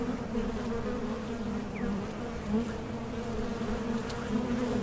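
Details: Hive of honey bees kept with a Mason jar honey super, producing a continuous low drone that holds an even pitch throughout, with faint brief rising squeaks in the background.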